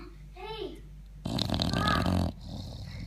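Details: A sleeping English Bulldog gives a loud, rough, rattling snore, with a person's voice nearby.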